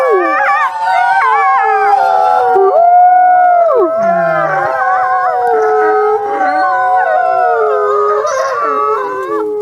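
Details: Chorus of howling wolves, overlapping long mournful tones, one sharp downward slide midway, voices weaving up and down in pitch and sustaining without pause throughout.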